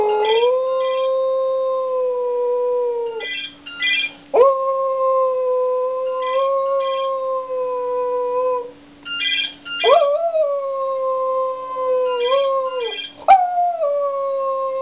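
A Cocker Spaniel sings in long, steady howls, each held for several seconds.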